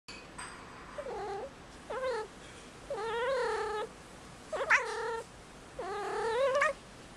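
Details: Marmalade, a five-month-old indoor female kitten in heat on Christmas Eve, gives five drawn-out, wavering yowls, some short and some over a second long, each with rich rising-and-falling harmonics, in a quiet room.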